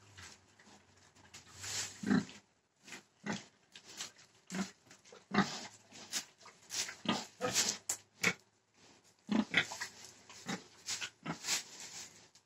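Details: Pig grunting in a series of short, harsh, noisy bursts, several loud and rasping, separated by brief pauses over about twelve seconds.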